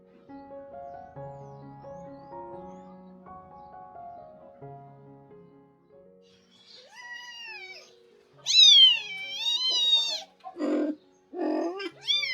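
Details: Domestic cat, a rescued mother cat with her kittens around her spay surgery; after six seconds of soft piano music, loud, high, wavering meows begin, with several short drawn-out cries and rough bursts near the end over the music.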